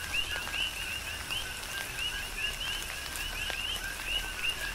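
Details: A chorus of many coqui frogs on Hawaii's Big Island during tropical rain. Short two-part chirps, low then high and upswept, overlap in a continuous rhythmic pattern over a hiss of falling rain and occasional drips.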